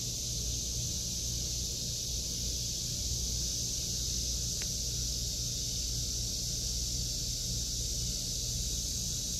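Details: Summer chorus of cicadas in an August 2023 vegetable garden, a dense shrill drone holding level throughout, with one short sharp click midway and a soft low rumble beneath.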